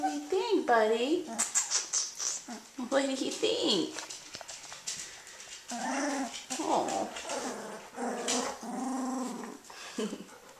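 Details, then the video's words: Puppies at 18 days old, starting to play, make arched whining cries and low squeaky growls in several separate bursts, mixed with a person's soft talking. "Britt's Puppies - 18 Days Old"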